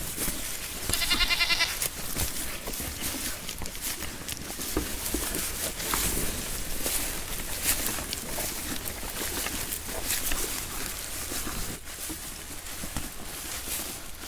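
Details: Goats grazing on grass outdoors; one short, nasal, wavering bleat rings out near the start, followed by steady crunching, rustling and trampling through vegetation with scattered footsteps.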